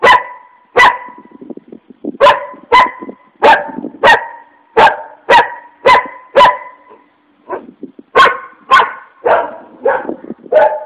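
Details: An angry dog barks loudly and steadily, about two barks per second, with short clipped barks in a near-regular series and a brief pause before the final run.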